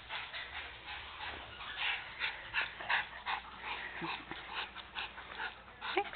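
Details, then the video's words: Dogs named Margie and Opie during a fetching game, with soft whimpers, yips and panting-like breaths in quick irregular bursts, roughly three per second, over a steady background hiss. "Margie & Opie Fetching"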